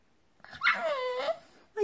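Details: French Bulldog puppy 'talking' to its owner in a language of squeals, howls and strange little sounds. One drawn-out, tonal whine slides down and then levels off, followed by the start of another short yelp.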